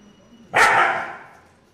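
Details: Siberian Husky. A Siberian Husky lets out a single loud, rough bark with an abrupt start. The sound is broad and throaty and trails off within about a second against a quiet background.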